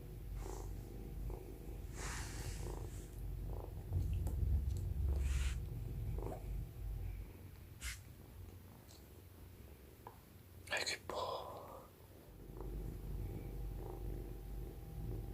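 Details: Young Norwegian Forest Cat, a long-haired kitten, purring while being brushed for the first time indoors; steady low rumbling purr with brief brushing and handling noises, a short rustle burst near the end.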